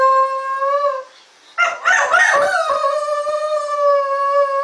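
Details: Shetland Sheepdog, a pet dog that has just begun howling: a steady, clear, sustained howl note, broken by a brief ragged burst of noisy sound, then resuming as a long even tone.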